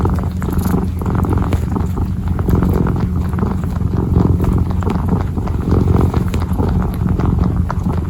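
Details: Kitten purring while kneading, a steady low rumbling purr running through the whole stretch with rhythmic pulsing, plus faint soft rustling and tapping from the kneading paws.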